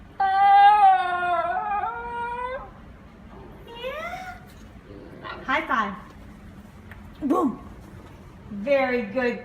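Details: A female Basenji named Ginger Snap talking, as if trying to say something. She opens with a steady two-second yodel that slowly climbs, followed by short scattered whines and yips and a final wavering note.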